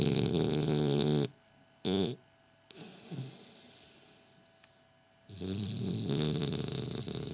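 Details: Sleeping French Bulldog Gilbert snores loudly with a coarse rattle, gives a short snort, breathes softly for a few seconds, then launches into another long, gravelly snore.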